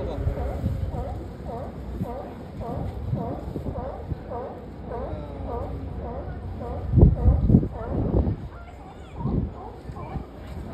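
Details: Sea lions at Pier 39 in San Francisco, seen up close: a steady run of harsh, harmonic barks repeated several times a second, overlapping from different animals, with crowd chatter and a few loud low thumps nearby.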